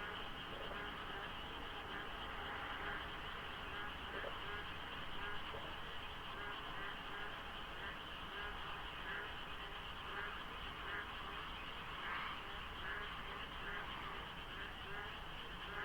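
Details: Before daybreak in monsoon rain, countless frogs fill the dark around the Deokso IC expressway, with fog and few cars. Many callers overlap, so their number is hard to tell. Pulsing croaks sound over a steady whine and low traffic rumble.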